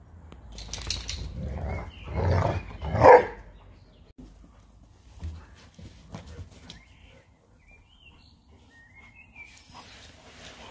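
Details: Leonberger and Labrador, Montana and Lola, play fighting: a couple of loud, gruff, growly bursts with a short harmonic bark-like yelp near the third second, then quieter scuffling and faint bird chirps.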